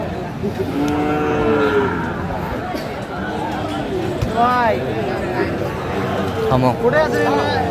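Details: Sahiwal breed bull at a Cumilla cattle market, Bangladesh, 11 February 2025; several drawn-out moos and bending higher calls near 4.5 and 7 seconds over steady crowd and vehicle noise.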